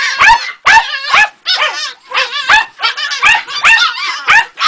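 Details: Female Jagdterrier pup aged two and a half months, uttering a steady run of shrill, warbling yelps and whimpers, about two a second, each short and bright with wavy tone.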